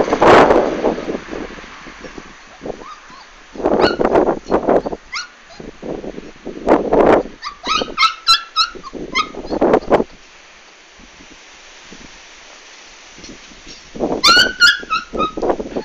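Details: Komondor dog filmed during a big move on 11 March 2016; high, wavering whimpers and short yips with bright harmonics around eight and fourteen seconds, between bursts of rustling and handling noise.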